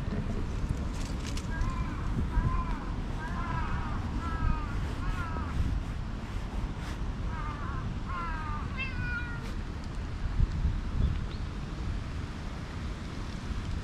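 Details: Stray cat that came out beside a jogging path, meowing while being petted before climbing onto a lap, filmed with a GoPro HERO8: a series of short, rising-falling meows in clusters, over steady low wind-like rumble outdoors.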